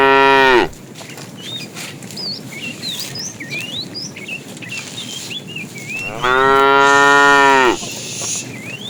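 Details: Herd of tame cows roaming far to find food: a moo cut off at the start, then a long steady moo of about a second and a half, while birds chirp in short rising notes throughout.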